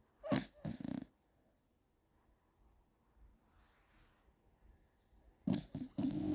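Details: Gina the Beagle asleep and snoring, giving two quick pairs of raspy, low, throaty snores at the start and end, with near silence between.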